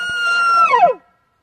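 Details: A bull elk bugles very close, at morning during a 2017 hunt in British Columbia, just after another elk was shot: a loud, held whistle that slides sharply downward and breaks off.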